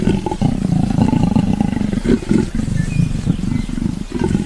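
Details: African leopard (Panthera pardus pardus), call.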